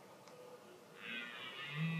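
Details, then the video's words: A red deer stag gives a low, drawn-out roar during the rutting season that swells in the second half. "Red deer (Cervus elaphus) rutting"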